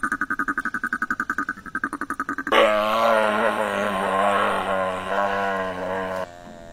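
California sea lion giving a rapid, pulsing burst of grunts, then a loud, drawn-out wavering call.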